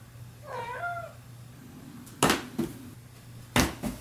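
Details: Cat that loves box jumping gives one wavering, rising-then-falling meow with clear harmonics, followed by loud thumps and scrapes from jumping on boxes indoors.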